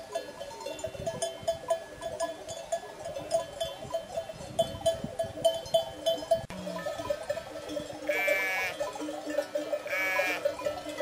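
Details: Flock of sheep with goats at Col du Galibier in the French Alps: a constant jangle of many ringing animal bells, with two clear wavering bleats near the end over steady outdoor background noise.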